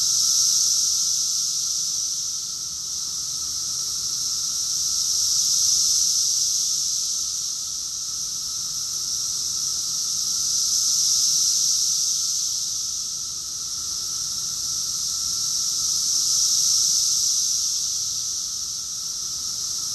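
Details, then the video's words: Summer cicada chorus from Rockville, Maryland, USA, June 2021; a steady shrill buzz that swells and fades in slow waves roughly every five to six seconds, many insects calling together with no other clear sounds. "Cicadas song || Cicada's chorus song"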